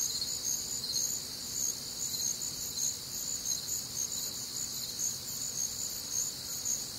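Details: High-pitched cricket trilling fills a warm, humid Midwestern summer night, steady layered ringing with small rhythmic swells and a soft low rumble in the background.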